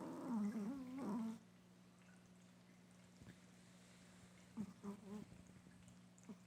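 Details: Chihuahua snoring while asleep: one drawn-out, buzzy, wavering snore at the start, then quiet breathing with faint short snuffles, and a steady low hum in the background throughout.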